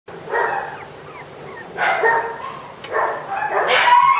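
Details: Shiba Inu puppy, expected to grow only to mame-shiba size, giving a few short, high whining yips in separate bursts with long quiet gaps between them. The last whine rises into a thin, strained tone.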